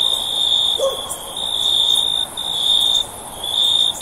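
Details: High, piercing cricket trill running in long bursts with short breaks, heard as sleep sounds; a single soft, lower call from some other creature briefly appears near the start.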